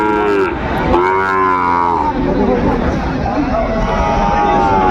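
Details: At a crowded market on 15 December, a Sahiwal bull calf gives a long, strong moo that slides downward over about two seconds, followed by softer lowing from other cattle amid continuous voices.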